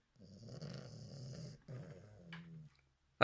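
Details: Asleep bulldog puppy giving two low, rattling snores in a quiet room, the second ending in a steadier humming breath, followed by a sharp click at the end.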